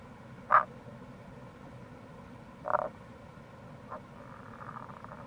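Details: Tago's brown frog, wild, by a gorge on Japan's Kamo River in Itoshima, Fukuoka, in April: a loud short croak, a second one two seconds later, a fainter third, then a soft drawn-out pulsed rattle, over continuous low background noise.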